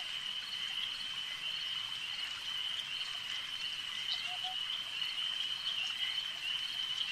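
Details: A lake chorus of frogs, heard as a continuous shrill, shimmering trill that stays level throughout, with a couple of brief lower notes near the middle.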